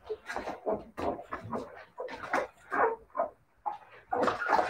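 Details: Siberian Husky puppies whimpering and yelping in a string of short, uneven bursts that swell and fade, some squeaky and some fuller, with brief quiet gaps between them.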